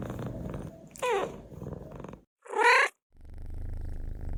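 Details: Domestic cat purring low and steadily, broken by two short rising-and-falling meows about one and a half seconds apart, followed by silence and then renewed deep purring.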